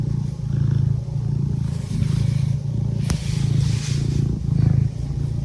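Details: Domestic cat purring: a steady low rumbling throb that swells and fades in cycles of about a second, with one sharp brief click-like burst partway through; no other sounds stand out.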